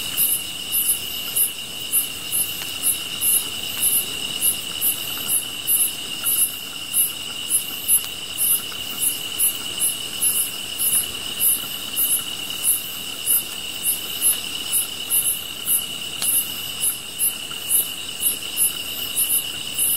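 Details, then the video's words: Steady insect chorus from the grass with a continuous high buzzing trill and very high chirps pulsing about three times a second across the whole stretch. A fire burns softly in the background. "풀벌레 소리"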